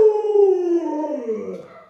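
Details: Luoluo, a pet Alaskan Malamute, howling while the owner is sick in bed: one long harmonic-rich tone that slides steadily downward over nearly two seconds and fades at the end.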